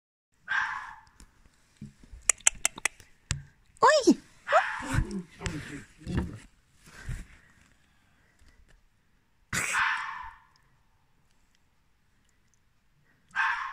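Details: A fox gives short, harsh, hoarse barks at night in October 2020, apparently wanting to play with a cat, with people talking in between.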